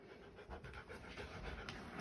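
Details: Echo, a male Siberian husky, panting indoors after sneaking down into the basement of a newly moved-into home; steady, breathy, rhythmic huffs of air repeat several times a second, with faint room noise behind.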